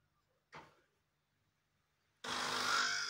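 An Italian greyhound gives a short yelp, then a loud, harsh, drawn-out bark after a pause.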